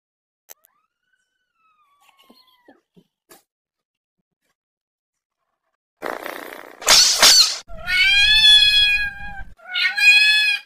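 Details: Angry cats fighting and arguing over food, very loud: six seconds of near silence with faint taps, then a harsh hissing burst followed by long, drawn-out harmonic yowls and a final shorter wail.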